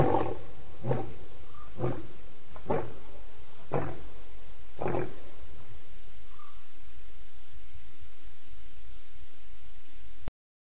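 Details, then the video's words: Birmingham lions calling in the evening at Djuma Waterhole, 11 August 2016: a loud series of six deep, grunting roar pulses about a second apart, fading out after five seconds into quiet background. "The Birminghams Audio Show at The Djuma Waterhole"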